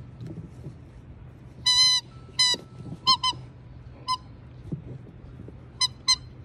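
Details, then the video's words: Siberian Husky named Jasper, up for adoption through Pet Harbor Rescue with foster siblings nearby, gives brief high-pitched squeaks, some single, some in quick doubled pairs, separated by quiet gaps over a low steady hum. "Jasper Squeaks"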